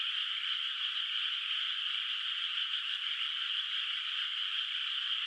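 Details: Frogs calling at night from a moonlit countryside rice field whose water is not yet planted, heard at a distance: a dense, steady, high-pitched chorus of overlapping trills that blend into an unbroken shimmering wall of sound, with no other noises.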